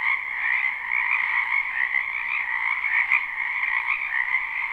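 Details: Frogs croaking together in a wetland in spring, recorded live: a thick, steady wall of trilled calls in a high and a middle band, with a brief click around the three-second mark.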